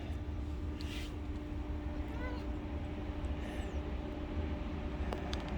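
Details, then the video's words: Cat named Sunding, outdoors near a truck, making strange sounds because it is happy after eating; a short, faint rising meow or chirp near the middle, over a steady low engine rumble, with a person talking to the cat. "밥먹고 기분좋아서 이상한 소리내는 고양이 순딩"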